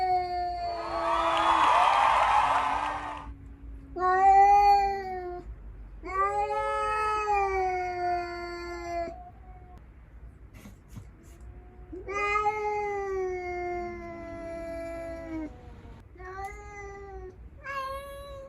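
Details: Cats facing off with a stray near resting rescued house cats; a loud broadband rustle at the start, then a run of drawn yowls that rise and fall, some long and wavering, others short, louder early and fading later.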